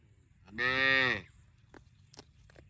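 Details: A single cow moo lasting about half a second to a second, a steady harmonic low call with rich overtones, followed by a few faint clicks and knocks.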